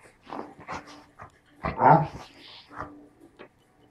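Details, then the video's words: English springer spaniel, described as talking, giving a string of short whiny vocal yelps and moans rising and falling, with a louder drawn-out howl-like sound in the middle; a woman's voice heard softly at the start. "my english springer spaniel talking"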